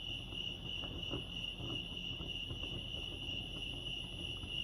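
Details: A continuous bright trill from crickets at Lake Arrowhead in California rings steadily without breaks, accompanied by a faint higher tone, low background rumble and a few soft clicks.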